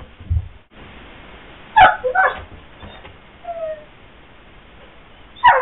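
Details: Pyrenean Mastiff whimpering indoors because it wants to go outside while its owner gardens in the yard; short high whines and a drawn-out thin whistle-like whimper, separated by pauses, over a quiet room hum.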